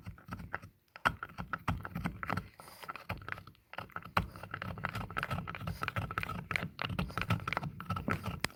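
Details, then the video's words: French Bulldog named Taffy chewing an antler, a dense stream of clicking, grinding bites and sharp knocks coming several per second with a low rumbling undertone. "Satisfying Sound of a French Bulldog Chewing on An Antler"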